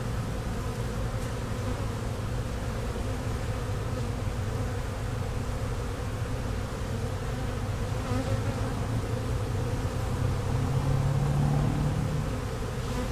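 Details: A very new swarm of honey bees, moved into the box that day in Louisiana, buzzing during frame inspection; thick low hum that swells louder toward the end.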